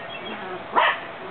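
A single sharp, mid-pitched bark from an English Cream Dachshund against a quiet background hum.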